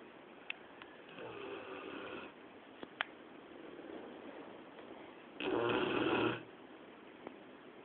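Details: A Labrador Retriever sleeping indoors at 2 a.m. snores in rough, breathy bursts, the loudest a long rasping snort near the end.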